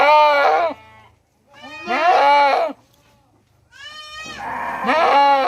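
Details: Hungry goat at a Mumbai goat farm in India that breeds hundreds of big goats; three loud, quavering bleats, each under a second long and separated by short silent pauses.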